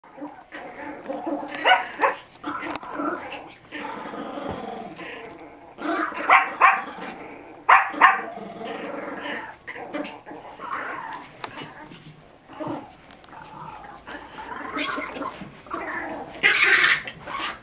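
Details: Two Biewer Terriers, Harry and Isabelle, playing tug of war with a hair accessory indoors in March 2008; a busy stream of small-dog growls and sharp yips, overlapping and irregular, with a person's voice mixed in.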